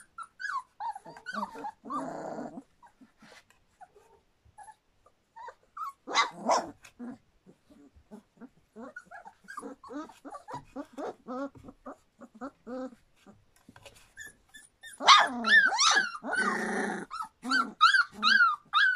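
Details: Standard Poodle puppies, about three weeks and three days old, from River's litter: scattered short high squeals and whimpers with quiet gaps, then a loud burst of overlapping shrill cries and grunty squeaks near the end.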